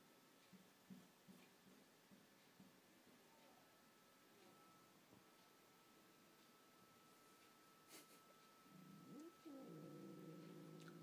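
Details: Pet cat Pipkin meets the neighbourhood's resident tomcat, who wants to meet her, though she is having none of it; faint low murmurs give way to a loud, drawn-out, wavering yowl filling the final two seconds indoors.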